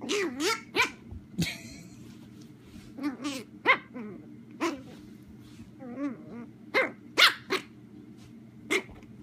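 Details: Puppy chihuahua and a mini German short-haired pointer at play, wrestling with a person's arm: sharp yappy barks and squeaky rising yelps in irregular bursts, mixed with low growls, roughly seventeen calls a minute.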